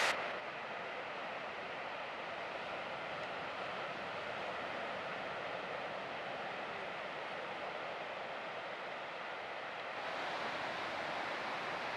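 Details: Steady broadband rumble like wind or a passing engine fills the whole recording, with no animal sound heard.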